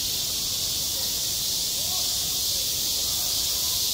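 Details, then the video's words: Summer cicada chorus over a school playground, self-recorded: a continuous, shrill, even buzz with no pauses, and faint low murmurs beneath it. "한 여름 운동장에서 매미가 울고 있다 - 여름의 소리, 학교 종소리, 매미 울음소리"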